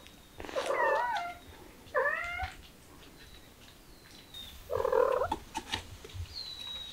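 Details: Kittens stirred up by the smell of chicken give three clear, harmonic meows, each bending downward, spaced roughly two seconds apart, with light clicks and a thin high whine between them.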